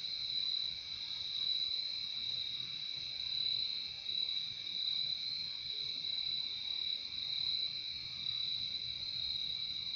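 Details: Crickets trilling in a steady, unbroken high-pitched chorus, two bright tones layered and held without pause for the full ten seconds, with only a faint low hiss underneath and no other animals.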